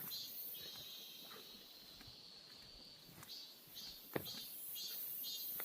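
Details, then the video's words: Cicadas calling in a summer birch forest in Gyeongbuk, Korea: a steady high buzzing band with pulsing bursts near the top, fairly faint, with scattered clicks and a sharp knock near the end. "매미소리 정겨운 ㆍ자작나무숲"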